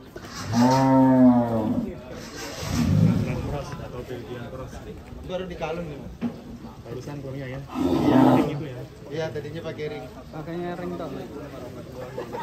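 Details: Belgian Blue cattle at an extreme-class cattle contest at Bintang Tani Farm: a deep, loud, drawn-out moo near the start and another around eight seconds, with men talking in the quieter stretches between.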